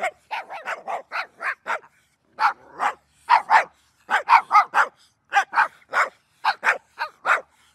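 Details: A dog gives short, clipped barks in uneven bursts of two to four, separated by brief silent gaps, each bark sharp and mid-pitched.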